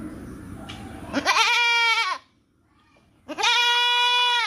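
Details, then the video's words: Goat bleating on a farm: two long, nasal, strongly harmonic bleats, each about a second long, separated by a short silence, with a faint murmur of background noise before the first. "Goat Bleating Sound"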